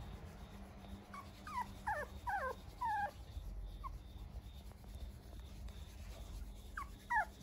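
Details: Puppy from a breeder, filmed 24 September, sending out clusters of brief falling whimpers and yelps, several in quick succession early on, a lone soft one midway and a final pair at the end, against steady low background hum.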